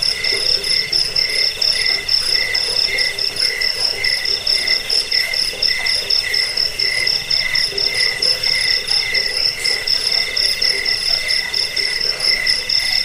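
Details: Crickets chirping for rat repelling, bedtime listening and songbird training; shrill pulsed trills in stacked high tones, swelling and easing about twice each second in a continuous chorus.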